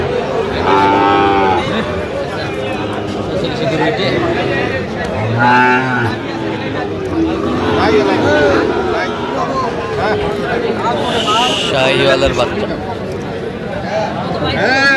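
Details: Sahiwal bull calves at a cattle market where Dhaka farmers are buying, on 15 November: deep, droning moos near the start and again around mid-clip, amid constant bargaining voices and crowd chatter.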